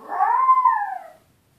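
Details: Puppy Tito cries in his owners' absence: one sustained, plaintive whine lasting over a second, swelling slightly and then sliding downward before fading out.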